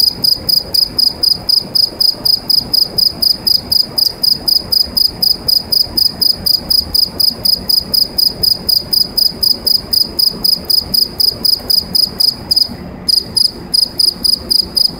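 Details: A cricket sings from inside a pipe, its bright ringing chirps pulsing about four times a second, with one short pause midway before the rhythm resumes.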